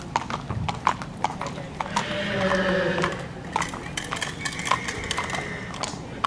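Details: Horse at a mare inspection in Wezep, hooves clip-clopping in sharp irregular knocks, with a drawn-out tonal sound in the middle and voices in the background.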